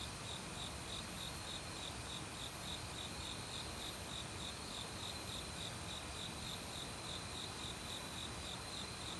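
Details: Forest crickets in autumn, singing alongside assorted insects, give a continuous series of bright, high chirps roughly three per second, layered over the steady roar of a mountain stream.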